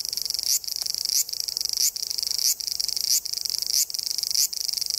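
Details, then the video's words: Cicadas in woodland beneath the Yoro Mountains on Japan's Tokai Nature Trail, on a northbound hike toward Sekigahara: a dense, high, shrill buzzing chorus that swells with a brief accent about every 0.6 seconds. "Marching to a Japanese cicada sound track."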